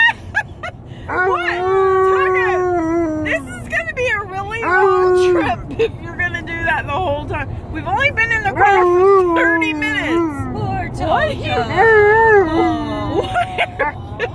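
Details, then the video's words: Alaskan Malamute named Tonka howling inside a car during a road trip, long sustained tonal howls sliding and wavering, several drawn-out phrases with short breaks, low engine rumble beneath. "Malamute Howling In Car On A Road Trip"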